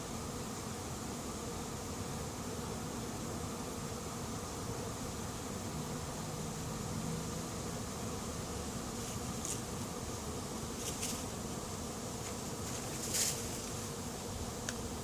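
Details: Late-season honey bee swarm of unknown origin moving into an empty, as yet unprepared hive; a dense, steady droning hum holds unbroken throughout, with a few brief faint clicks and ticks near the end.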